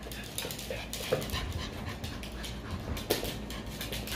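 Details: Jah the Chihuahua back at his old apartment, reunited with his buddy Robert, another dog he play-fights with out of affection; soft breathy panting in quick uneven bursts, with brief voices and rustling around it.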